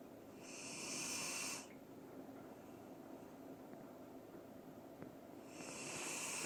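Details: Doran, a Dobermann, snores in sleep: a hissing breath of over a second, then a quiet pause before the next snore begins.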